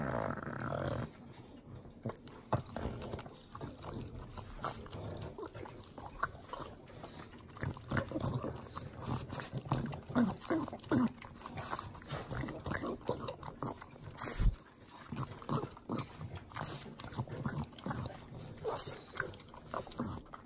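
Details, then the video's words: Three pug dogs eating butter in Southern California's Inland Empire make sloppy, wet licking and smacking noises, dense irregular clicks with occasional snorts and a sharp thud near the middle. "Pugs Eating Butter - Calming Sounds of Sloppy Licking, Snorting"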